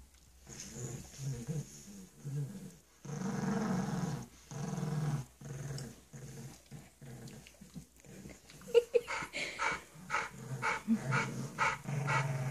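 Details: Bulldog puppy and pug at play indoors: sustained low throaty growls in long stretches, then choppier growling mixed with a few sharper yelps and scuffling in the final seconds.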